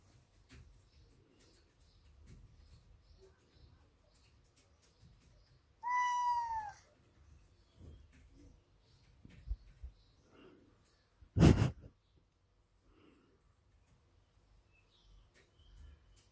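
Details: A big male Ragdoll cat gives a single clear, drawn-out meow, demanding his daily cuddles.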